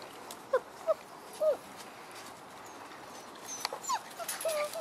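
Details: Frenchie x wolf puppies at six weeks old whimpering: brief, thin, squeaky whines, some sliding downward, three in the first second and a half, then two more near the end over low hiss.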